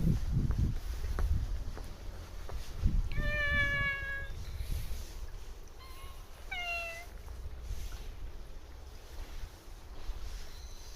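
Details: A cat living at a Japanese shrine meows while being talked to, giving two clear harmonic meows around three and six and a half seconds, each slightly falling, over low rumbling background noise and soft handling sounds.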